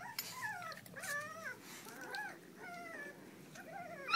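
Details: Puppies whimpering in a series of high, wavering whines with clear overtones, each drawn-out cry bending up and down, five separate bouts with short quiet gaps between them.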